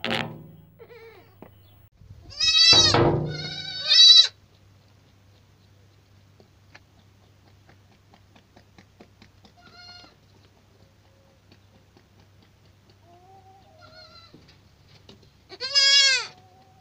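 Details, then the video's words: Young goats (kids) bleating: a loud, wavering, nasal bleat followed by a shorter one around three to four seconds, a long quiet stretch with faint murmurs, then one more strong bleat near the end. "صوت صغار الماعز"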